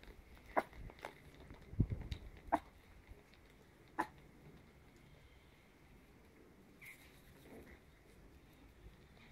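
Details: Chihuahua puppies ten weeks old, offspring of Charlie and Minnie, playing indoors: a few short, high yips spaced a second or two apart, with soft thumps and scuffles of play in a quiet room.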